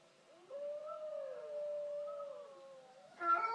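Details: Border collie, female, tilting her head to howling; a long steady low howl wavers gently for nearly three seconds, ending in a harsher, louder burst.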